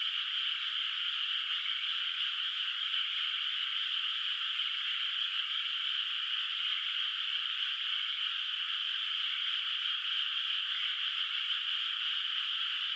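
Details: Distant frogs calling at night from a moonlit countryside rice field, its water not yet planted with rice; a dense, unbroken high chorus holds steady throughout, with no single croaks standing out and no other sounds.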